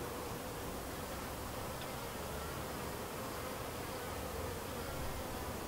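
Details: Many honey bees humming around their white hive, a split colony said to be thriving, give an even, continuous drone with a faint tonal hum running throughout and no breaks.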